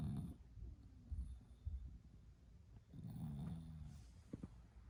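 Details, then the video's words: Female Bulldog snoring while asleep: deep, rumbling snore breaths, one at the start and another about three seconds later, with quieter low breathing between them in a still room. "Might be able to hear her snore"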